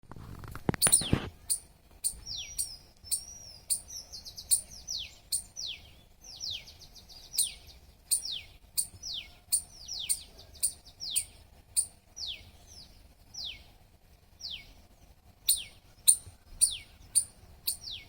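A squirrel chirps steadily: each note is a thin, high chip that slides quickly downward, repeated roughly twice a second with brief pauses. A single loud thump or knock sounds near the start.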